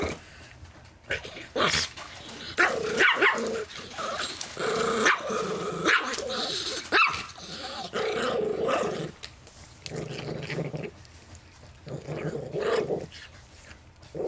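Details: Family Chihuahua–Miniature Pinscher cross defending his peanuts, growling in repeated snarling bouts punctuated by short sharp barks and snaps, a person talking softly in the room.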